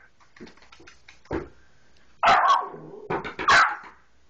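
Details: A three-month-old Soft Coated Wheaten Terrier puppy trying to jump onto a couch to reach toys, indoors: light tapping and scuffling, then a few loud, short, high barks and yips grouped near the end.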